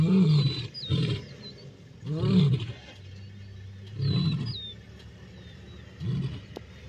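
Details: Black Rock male lions battling Salas males in the Masai Mara, dated 29 December 2023. Harsh low snarling roars arrive in four separate bursts about two seconds apart, with quieter gaps between them and birds whistling faintly.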